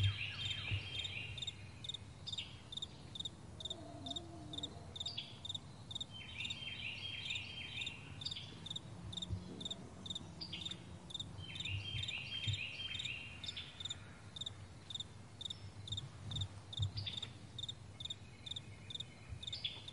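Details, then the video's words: Crickets chirping on a vast meadow in the morning, short high pulses repeating a little over twice a second, joined by scattered bird phrases and a constant low droning rumble. "Morning Crickets"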